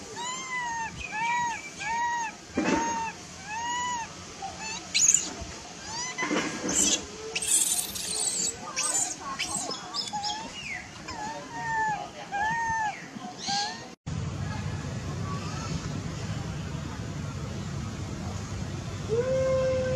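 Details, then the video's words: Baby macaque, angry after its mother refused it milk, gives a run of repeated arched, whining cries in the first half, then quieter rustling and background noise. "The mother monkey refused to give the baby monkey milk, the baby monkey got angry and shouted loudly"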